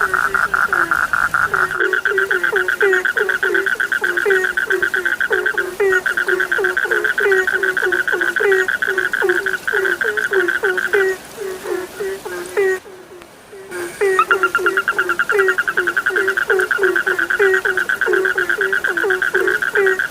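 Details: Night frog chorus from an Indonesian sleep recording: dense rhythmic croaks, each dropping in pitch, overlaid by a continuous higher pulsed trill, briefly cut by a near-silent gap before the chorus resumes.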